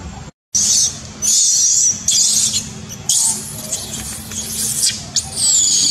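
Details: Baby macaque refused milk by its mother screams in anger, with piercing high screeches in repeated bouts of about a second each and a final sliding shriek.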